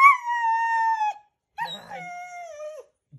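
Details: A Border Collie in a Christmas reindeer costume "sings" when asked to sing Merry Christmas, giving two long, tonal howls with rich harmonics, each holding steady then sliding down; a person's soft voice is briefly heard between.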